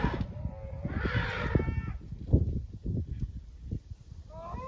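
Elephants give short, low, tonal calls over heavy rumbling thuds and scuffling.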